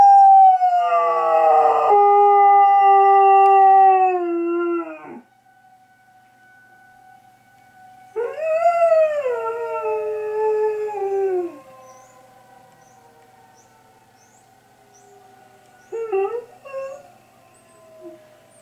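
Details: Dog Rookie responds to an air raid siren with two long howls, a loud falling wail and then a rising one a few seconds later. A brief short yelp follows against the siren's continuous steady tone.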